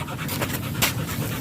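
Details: Short burst of hoarse panting from a German Shepherd during a stud session in Nalsian, Manaoag, Pangasinan, a few breathy huffs with one louder exhale over low background hum.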